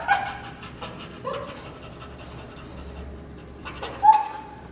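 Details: Partially blind, overstimulated dog with kennel anxiety, just dropped off for training, whines in short high tonal bursts near the start, again around one second later and near the end, with quiet room noise between.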